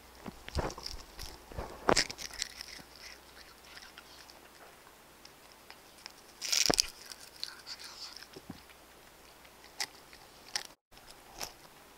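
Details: Pet cats eating chicken-flavoured wet food, Royal Canin Ragdoll dry food and bonito flakes, close up. Irregular dry crunches and sharp clicks of biting and chewing run throughout, with louder bursts near two and six and a half seconds.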